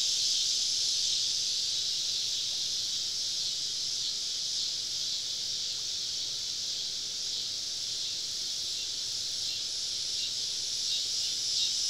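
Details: Cicadas chorusing all around a woodland campsite on a southern summer evening; a steady, unbroken high hiss-like buzz fills the whole stretch with no clear pauses.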